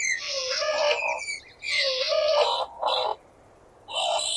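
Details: Skunk squeals, with two long wavering tonal cries mixed with raspy noise, then a short harsh burst, a quiet gap and another squeal at the end, in stereo-processed audio.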